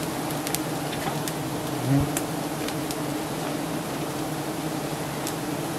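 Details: Giant honey bees at a nest high up, being harvested by honey hunters in Thailand: a dense, steady, low droning buzz with no pauses. Scattered faint clicks cut through it, and there is one short louder bump.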